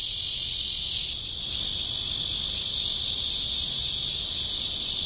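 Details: Courtship buzz of a Cryptotympana holsti cicada in Guangming Park, Zhongli, Taiwan: an intense, continuous high shrill drone that shifts slightly in tone after the first second and then holds level.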